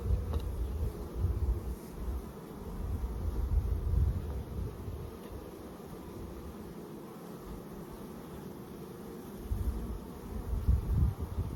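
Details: Honey bee swarm being caught and placed in a box, with the queen on the comb: a dense, low, continuous droning hum that swells and fades over the stretch, with a rumbling undertone and no clear voices.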